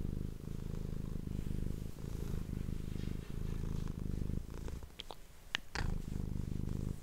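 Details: Domestic cat purring into an ASMR microphone indoors, a low vibrating rumble that fades near the end, where several sharp clicks and taps are heard before the purring returns.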